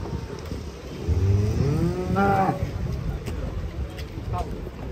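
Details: Giant cattle panicking while being unloaded from a truck; a single drawn-out, harmonic moo rises then falls over about a second and a half, with a shorter low call near the end, over steady engine-like rumble.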